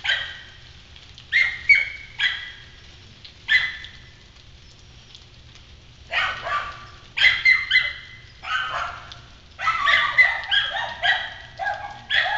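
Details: Several kennel dogs in a yard on Galla Creek barking in agitation at an intruder, one voice high-pitched and another deep; harsh overlapping barks come in irregular bursts, several dogs calling at once, with faint background hiss.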